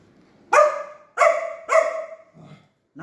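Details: Labrador Retriever; begging barks; asking for food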